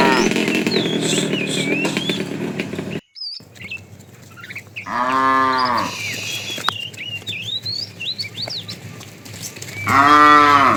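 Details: Fat cow in a tame herd being driven in the afternoon calls to a female: two loud, drawn-out, arching moos, one midway and one at the end, among steady twittering birdsong and a rumbling, busy opening.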